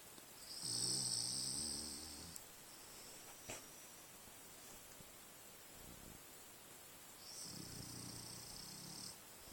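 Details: A male French Bulldog snores in two long, rasping breaths with a hissing, whistly edge while dreaming in his sleep, worn out after a long, adventurous day in the forest.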